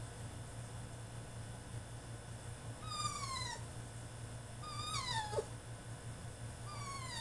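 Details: Caged male French Bulldog throwing a tantrum: three piercing whines, each sweeping from high to low, about two seconds apart, against a steady low droning hum.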